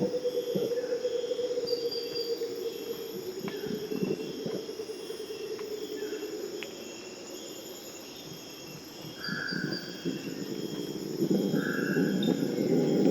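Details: Distant Purus red howler monkeys in the Amazon, calling around 4 am in a morning chorus, give deep, droning roars that rise and fall over steady insect buzzing; such howls serve to prevent fights between groups.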